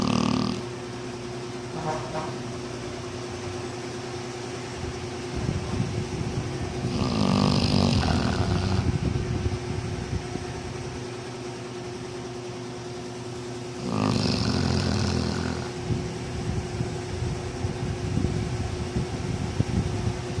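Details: Flame, a sleeping dog, snoring: long, broad, rasping breaths swell and fade, with louder bursts around seven and fourteen seconds over a steady low hum and background noise.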